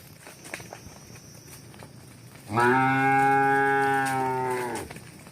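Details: A long sustained moo from a cow as cows run and walk; the call holds steady, rich and even for over two seconds before cutting off, with quiet clatter and scuffs ahead of it.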